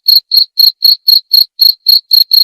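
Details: Close cricket song: ten sharp, high chirps in quick succession, each a brief buzzy pulse, evenly spaced with short silent gaps and nothing else audible.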